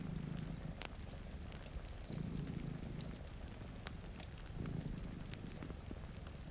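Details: Two cats sleeping before a rainy window purr in low, throaty pulses about every two and a half seconds, over sharp crackles from a fireplace and a steady hiss of rain.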